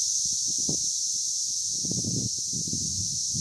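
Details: Male Brood X periodical cicadas chorusing a mating call in Hidden Valley, Indiana, May 24, 2021: an unbroken shrill hissing whine, constant in pitch and loudness, over low thumps and handling rumble.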